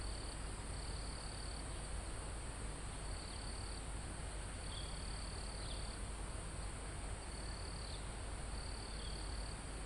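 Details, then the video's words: Live recording of insects and crickets in a forest almost at the top of a mountain: repeated shrill trill bursts over a steady high drone, a few short lower chirps between them, and a soft wind rumble in the foliage. "Calm Forest in Mountain With Crickets, Insects Sound"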